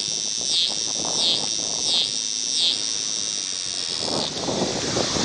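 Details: A scissor-grinder cicada (Neotibicen pruinosus) sings and crawls at an I-70 rest stop near Paxico, Kansas, in August 2007, giving a high, steady buzz that dips and pulses about once a second.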